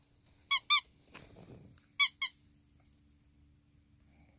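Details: A ferret, recovering for the third time from a critical condition, gives short, high squeaks in quick pairs, with a soft rustle between them.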